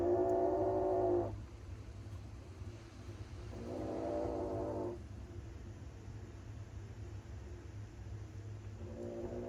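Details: Kitten, one of three that ran into a house for shelter on a rainy day, giving long, drawn-out meows: three harmonic cries of about one to one and a half seconds, spaced several seconds apart, over a steady low indoor hum.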